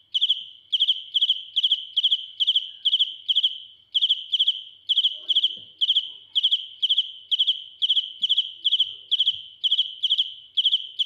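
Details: Close-up of a cricket singing loudly: shrill, high chirps of three or four quick pulses each, repeated about twice per second in a steady train with one short pause near four seconds.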